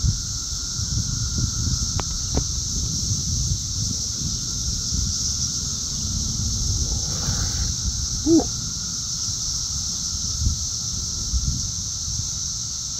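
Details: Cicadas in the south suburbs of Chicago, Illinois, June 3, 2024, very loud and active, flying around: an unbroken high, hissing drone holds steady throughout, over low rustling rumble, with a brief faint voice midway.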